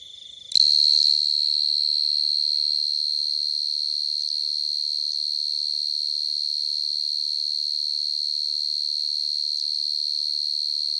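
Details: Field cricket (dế mèn, dế cơm) singing at night in quiet countryside: after a click, a steady high pure-toned trill begins and continues unbroken, finely pulsed, with no other sounds.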